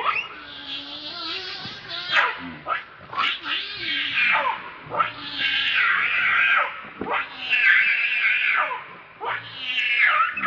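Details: Rainbow the monkey, furious and protecting Lucie from Kachoy, lets out repeated strained shrieks about every two seconds, some sliding sharply downward, over a low steady hum.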